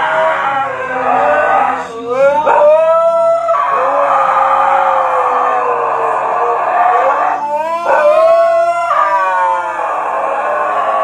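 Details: Siberian Husky giving a long, wavering howl that rises and falls in pitch, with short breaks and a brief surge near the two-second and eight-second marks; faint music in the background.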